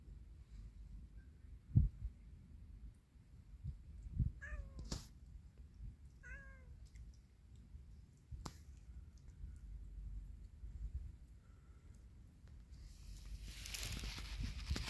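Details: Stray cats roaming a yard; two short falling meows with bright harmonics near the middle, separated by about two seconds, amid low thumps, clicks and a rushing noise toward the end.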